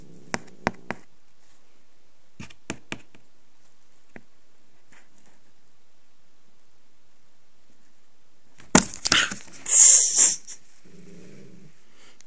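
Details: Angry cat, indoors, loud breathy hisses in two bursts after scattered clicks and knocks, then a brief low growl trailing off.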